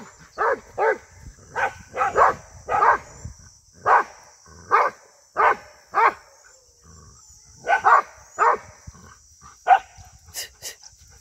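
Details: Rhodesian Ridgeback dog attacking cattle, 2022: sharp barks repeated roughly every half second in clustered runs, broken by a short quiet stretch, over a constant high-pitched hiss.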